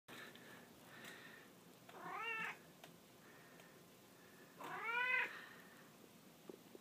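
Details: An orange domestic shorthair cat meows indoors while playing and talking. Two short, bright meows, each rising then falling, are separated by about three seconds over a quiet background hiss.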